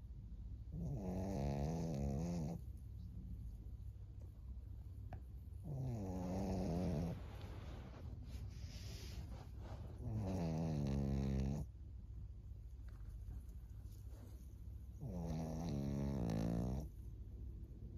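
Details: Maria, a 14-year-old senior fawn female pug in Japan, snoring: four long, harmonic, rasping breaths of about two seconds each, returning roughly every five seconds, with quieter low breathing in between.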